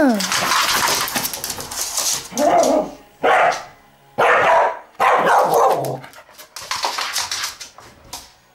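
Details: Dog challenging another dog to play to relieve its excitement: several loud, harsh barks in a broken series, with a human voice and clatter at the start and softer noises trailing off.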